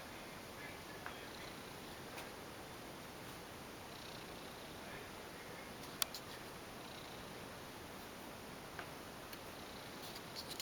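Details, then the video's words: Under the bed sheets, affectionate former stray cat Piccolina keeps up a low continuous rumbling purr, breath cycles showing as gentle hisses every few seconds, with a few small clicks and a sharp tap near the middle. "Weird creature lives under my bed sheets , making rumbling noises !"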